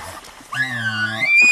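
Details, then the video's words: Herd bull elk screaming loudly: a harmonic whistle that leaps up, arches and dips, then climbs to a high sustained squeal, underlaid by a deep steady grunting tone; loud and close. "Listen To This Herd Bull Scream!"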